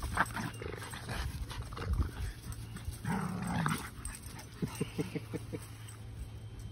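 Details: Sully the Boston Terrier and Kumo the Keeshond tugging together produce low growls, a rising whine near the middle, then a run of short clipped grunts, over scuffling and a faint hum.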